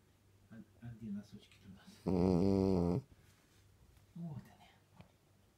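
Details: A sleeping dog gives one loud, deep, rasping snore lasting about a second, likened to a KAMAZ truck, with quiet human speech before and after indoors.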